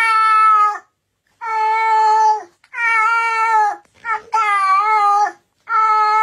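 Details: A cat gives five long, steady, tonal meows, each lasting about a second with a slight waver in pitch and brief silences between them. The fourth call is broken by a short stutter before the meow resumes.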